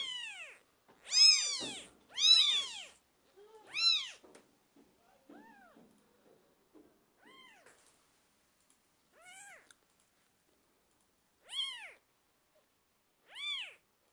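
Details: Young British Shorthair kittens, twelve days after birth, mewing: two loud high cries open, followed by softer, spaced mews roughly once a second that fade and return.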